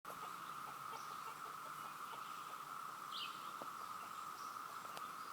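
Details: Cicadas all around give a continuous, even buzzing hum, steady in pitch and loudness, likened to the sound of a waterfall, with a few faint clicks and scattered higher chirps sitting lightly over the chorus.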